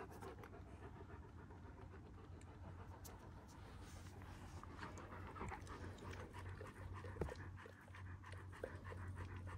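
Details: One-year-old Kangal dogs in Alanya, Antalya province, Turkey, 24 September 2024, breathing in soft, hurried pants against a constant low hum, with a sharper knock near the end.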